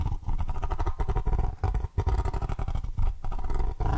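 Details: Basil the cat purring close to the microphone in an indoor ASMR session: a deep, rumbling, continuous purr that swells and fades with each breath, with brief quiet dips between cycles.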